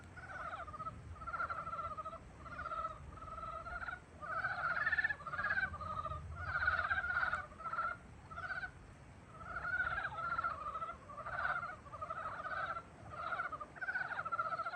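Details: Spring frog chorus heralding the season, many frogs giving rapid rattling, pulsed croaks in repeated bursts roughly every second or two, voices overlapping and swelling in waves against a faint constant hiss.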